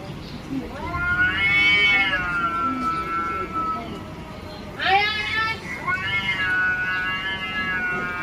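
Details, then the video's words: Cat fighting for control of territory, giving long drawn-out yowls with wavering harmonics, one stretching about three seconds, then a sharp rising wail and another sustained howl; a person's voice calling in Bengali and faint music underneath. "This is a fight for control of the territory"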